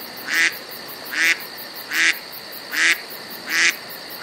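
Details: Roe deer. Roe deer barking: short, rough, broadband barks with a hoarse, almost quacking quality. Five barks come in a regular series, each lasting about a third of a second, against a quiet background.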